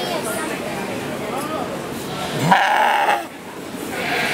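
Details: A goat gives a single wavering, nasal bleat over a murmur of background voices; the owner wonders whether it has a cold.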